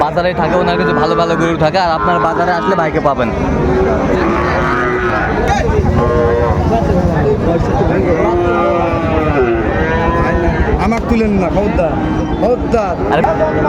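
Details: Sahiwal bull calves at Raniganj cattle market in Dinajpur on 27 June 2024: deep, drawn-out moos rise and fall over a steady din of men talking and bargaining close by.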